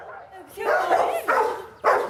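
A domestic dog barks several times in rapid bursts, each bark loud, harsh and mid-pitched. The barking is an excited alert at the door, triggered by the doorbell even when the visitor is familiar; a human voice may be faintly present.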